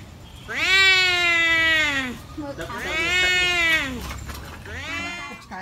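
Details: Two cats battling over a female in a village, giving drawn-out, strained yowls in three long waves, each swelling loudly and then sliding downward; faint background noise between calls.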